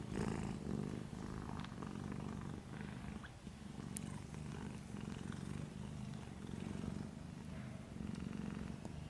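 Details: Sleeping little ginger kitten purring: deep, even, continuous vibrating rumble with gentle rhythmic pulses, a brief soft click near the middle, and quiet indoor background.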